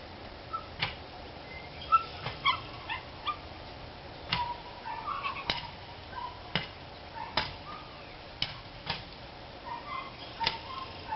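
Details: Dogs barking, dated 3-29-13: short sharp distant barks arrive irregularly, roughly a dozen in eleven seconds, some in quick pairs, over a steady low background hum.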